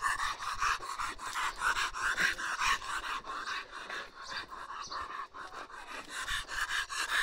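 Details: Bull terrier panting hard in quick, rough breathy bursts, a little over two per second, steady through the whole stretch, with faint voices now and then behind it.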